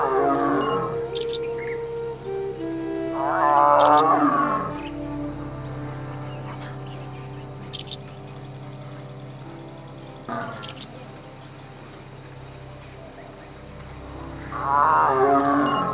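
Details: A huge male tiger relaxing in water in peak summer heat (about 47°) in India gives deep, moaning roars in three drawn-out bouts, a mating call to his mate; mating was later witnessed.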